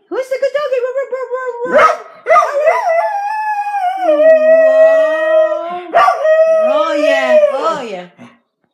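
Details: A Corgi named Chicken howls in long, wavering tones that rise and dip, singing along as a lower human voice joins in.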